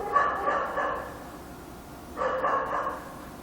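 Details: A dog barks at night in Korea in two short bursts of rapid, overlapping barks, about two seconds apart, with a hushed gap between them.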